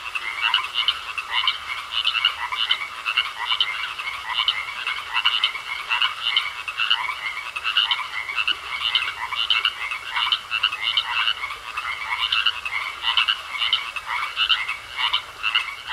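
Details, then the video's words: Frogs in a pond croak continuously in a thick, rhythmic chorus of quick grating pulses, evenly repeated, against a constant high tone. "Sounds Of Frogs Croaking In A Pond"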